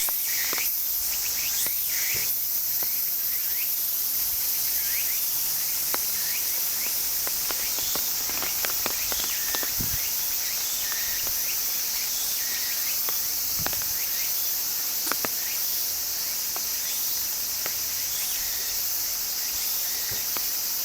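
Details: Cicadas in a steady, unbroken high-pitched hissing drone that fills the whole stretch, with scattered short bird chirps and faint clicks in the background.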